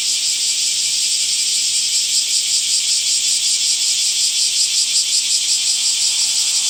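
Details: Cicadas calling in summer among trees: a dense, high, shimmering buzz that runs unbroken for the whole stretch, with a fast rattling pulse inside the drone and no other clear sounds.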